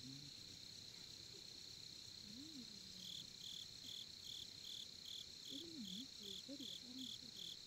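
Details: Cricket sounds at a Korean campsite during campfire watching: a continuous high trill, then from three seconds a close cricket chirping in regular short bursts, while faint low human voices rise and fall underneath.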